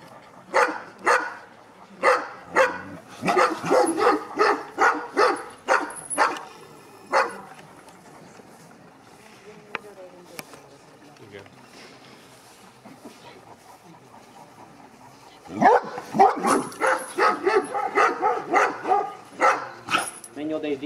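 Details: Courage test of Avatár, a 2.5-year-old Sarplaninac: a dense volley of repeated barks, then a quieter stretch with faint voices and soft whimpering, followed by another burst of rapid barking.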